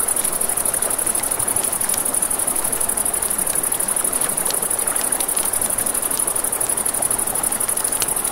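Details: Riverside crickets trilling at night, one unbroken thin high buzz with a rapid pulse, set against the rushing murmur of a river and frequent crackling snaps from a campfire.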